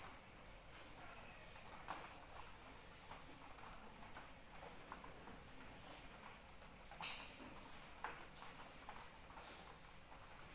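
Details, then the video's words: Cricket calling in the rain: a steady, high, finely pulsed trill runs unbroken for the whole stretch, with soft raindrop patter and scattered ticks of dripping water underneath. "Suara Hujan dan Jangkrik Pengantar Tidur"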